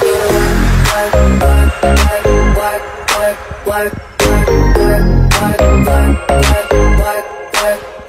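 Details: Loud hip hop beat with heavy bass thumps and electronic effects, and no animal voice.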